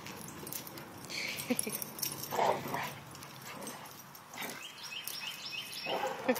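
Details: Several pet dogs, including a visiting male boxer, at play together indoors; a few short, soft whimpering yips rise above a low background hiss, with faint rustling and movement throughout.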